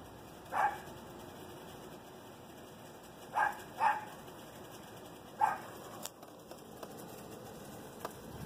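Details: Chihuahua yipping in brief high barks spaced a few seconds apart, with a couple of faint clicks and a hissing background.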